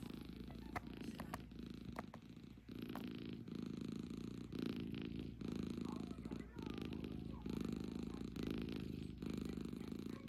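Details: Tired domestic cat asleep in a hideout bed, snoring and purring: a steady low rumbling drone runs through the whole stretch, with scattered faint clicks and room noise over it.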